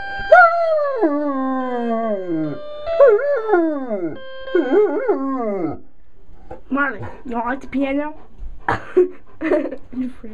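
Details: A 110-pound yellow Labrador Retriever sings along to piano music, howling in long, wavering notes that slide downward.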